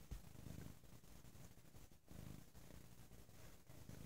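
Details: Bo, a domestic cat, on a lazy Sunday, purring very loudly: a deep, steady rumbling purr in waves that swell and ease with each breath, with a brief dip near the middle and faint rustling.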